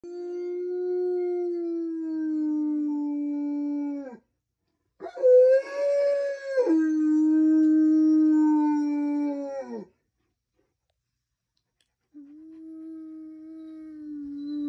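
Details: A sad Newfoundland dog howls indoors in long, sustained, mournful tones, each howl several seconds long with a steady low pitch; a higher, wavering howl rises midway before dropping back, with pauses of silence between the howls.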